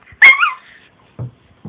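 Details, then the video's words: Chiwako, a female Long Coat Chihuahua born in 2010, at home: a single loud, high yelp that wavers and then trails down into a short whine, followed by two soft low sounds. "ロングコートチワワの鳴き声集 キュンキュン可愛い鳴き声から唸り声まで♪ Long coat chihuahua cry"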